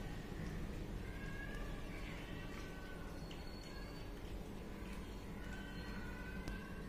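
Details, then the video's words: Hungry kitten wanting food, meowing in short, high, slightly falling calls, several spaced through the recording, over a steady low hum and background noise. "Hungry kitten meows and want to eat"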